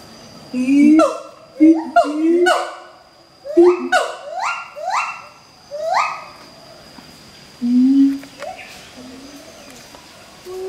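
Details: Duet song from an adult mated pair of siamangs at the Schmutzer Primate Center, sung to advertise territory: deep, booming low notes alternate with loud sweeping calls that climb sharply in pitch, given in bursts separated by short pauses.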